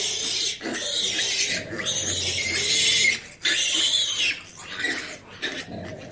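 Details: Domestic farm pig giving loud, high-pitched squeals in long drawn-out bursts, each lasting one to one and a half seconds with brief breaks between, over a faint background murmur.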